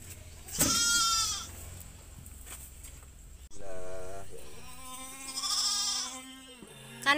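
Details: Goat giving wavering, nasal bleats while helped through delivering its kid. One short bleat opens, then longer drawn-out bleats rise and fall over several seconds, with people talking quietly alongside.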